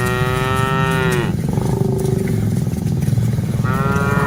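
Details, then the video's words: While dozens of cattle are herded, one long harmonic moo slides down at its end, a quieter lowing follows, then another moo begins, all over a low rumble. "Aktivitas Mengiring Puluhan Sapi Lembu Lucu Suara Moo - Suara Sapi Moo Yang Lucu"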